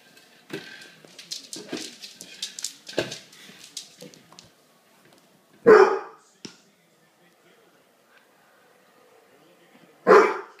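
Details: A Basset Hound chasing an egg gives two loud, single deep barks about four seconds apart, after a run of clattering, scrabbling noises.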